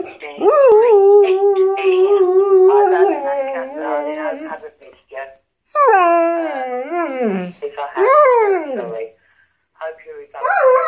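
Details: Dog chatting to answerphone messages with a string of howls: an opening held tone, then wavering, rising-and-falling yodel-like phrases broken by short pauses, some sliding downward at the end.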